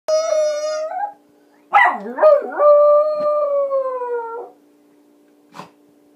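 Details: Puppy howling while holding his toy: a long steady howl, then a wavering, wobbling onset gliding into a sustained howl that slowly falls over about three seconds, ending with a short soft yip.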